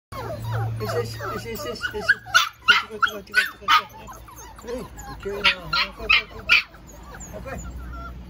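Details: Newborn Labrador Retriever puppies crying together in a dense chorus of high, wavering squeals and whimpers, overlapping and repeated rapidly, with a person speaking softly nearby.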